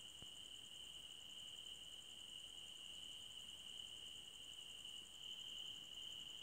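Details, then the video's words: A forest at night full of cricket sound: a continuous piercing trill and a higher, finely pulsed buzz run without pause, with a brief click near the start. "Cricket Sounds For Sleeping"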